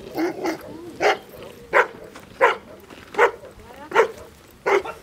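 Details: Hovawart about 21 months old barking during defence training: loud, harsh barks repeated roughly every 0.7 seconds, seven in all, with a faint background hiss.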